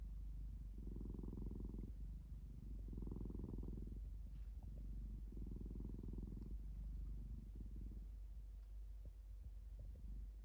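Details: Domestic cat purring, rough low rumbles swelling on each breath for about four cycles roughly every two seconds, growing softer and less regular toward the end, with quiet background.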